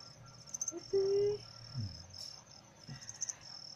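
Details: Cricket being trained to sing quickly: a steady, finely pulsed high trill runs through the whole stretch, broken by one brief, pure whistled tone near the one-second mark, plus a few low thumps and rustles.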